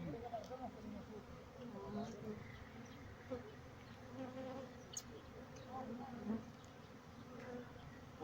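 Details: Honey bees at a bee farm in Pakistan, many insects humming together in a steady, droning buzz with layered low tones that swell and fade, with occasional faint clicks and knocks.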